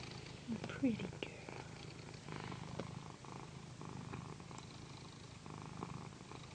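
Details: Pandy, a female cat, purrs during a massage on a satin pillow. A low steady rumble runs throughout, rising and falling with her breathing, while a quiet human voice speaks briefly near the start.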